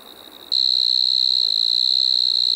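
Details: Loud, piercing, continuous high trill of a striped marsh-cricket (Pteronemobius lineolatus) in Maggia, Switzerland, 1 September 2023. It cuts in sharply after a quiet half-second and holds a steady pitch.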